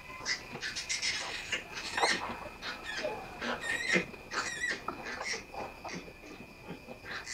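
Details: Domestic sow giving birth before dawn, with six piglets born so far: a run of sharp, high squealing bursts, one drawn-out wavering squeal midway, amid rustling and scuffling in the pen.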